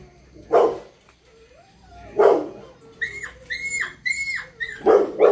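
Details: Dobermann puppy giving three short, soft yappy barks spaced a couple of seconds apart. Between them, a series of high, thin, squeaky repeated tones is heard.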